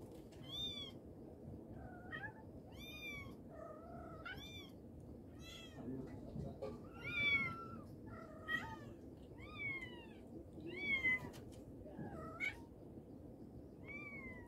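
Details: Mommy cat calling her kittens, producing a busy run of arched, overtone-rich meows every second or so, some high and thin, a few lower and flatter, against a low steady background.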